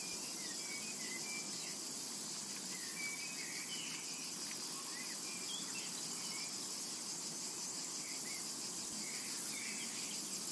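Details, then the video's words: Continuous cicada buzz over a summer meadow, bright and even from start to finish, dotted with quiet, short bird notes and a few chirps in the background. "Summertime and Cicada Ambience"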